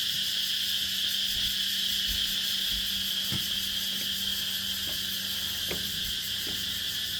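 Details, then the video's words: Insects calling at dusk on Nang Yuan Island, a bright, rapidly pulsing high drone with a steady low hum beneath and occasional soft clicks from someone moving nearby. "Insects calling turn silent as I walk by."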